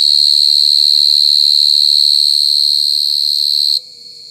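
A mole cricket sings a very loud, continuous, shrill trill, an even ringing buzz held at one high pitch. After nearly four seconds the song stops suddenly, leaving only faint background hiss.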